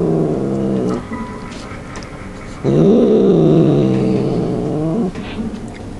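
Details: Pet cat growling as it devours food and will not share; two drawn-out harmonic growls, the second louder and wavering up and down in pitch, separated by a quieter stretch with chewing sounds.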